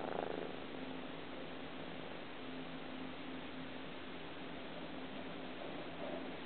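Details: Sky, a 3-month-old Ragdoll kitten, kneading his favourite blanket indoors; a soft, continuous low purr runs steadily throughout beneath faint hiss, with a light rustle at the start.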